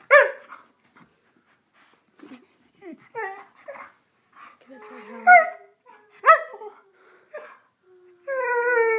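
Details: Rhodesian Ridgeback, a pet dog, 'talking' on command as its owner repeatedly tells it to speak: a run of short whiny yelps and drawn-out moaning tones with shifting pitch, broken by the owner's voice urging it on.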